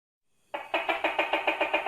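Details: Tokay gecko, called ตุ๊กแก, opens with a rapid pulsed rattle of about seven harsh beats per second that starts abruptly after a short silence.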